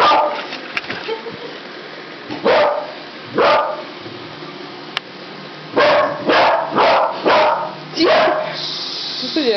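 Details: Pet dog barking at a robot vacuum cleaner and wanting to play: two short barks near the start, then a quick run of five clipped barks, over a steady low machine hum.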